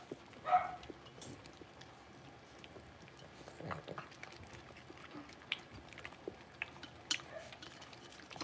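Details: Six-week-old blenheim Cavalier King Charles Spaniel puppies, a litter of five, in a home puppy pen; one short, high, loud yip near the start, followed by soft clicks, scratching and shuffling.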